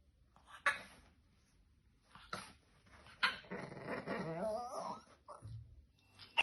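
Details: A small French Bulldog, filmed at home while sleeping, snoring and barking, gives short sharp sounds followed by a long wavering growl-whimper in a small room, with a faint clicking near the end.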